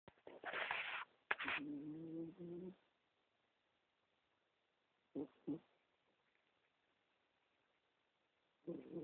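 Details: A 15-year-old female cat snoring in her sleep, recorded on a BlackBerry phone: a rough, raspy breath followed by a drawn-out buzzy, droning snore, a quiet pause, two short snorts close together, then another rasping breath.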